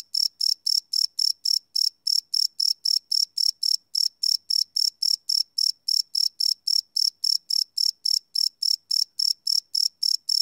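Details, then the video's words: Cricket at night on a Sony PCM D100 field recorder, recorded live: a long unbroken series of bright, high chirps at about four per second, with a brief hesitation now and then. "Cricket Chirp Sound - Cricket Sounds at Night"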